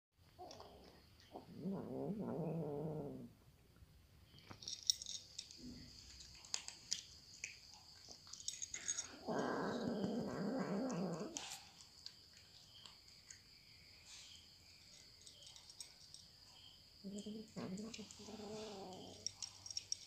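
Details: Cats eating, with three low, harmonic growling murmurs of two to three seconds each and faint clicking chewing noises in the quieter gaps.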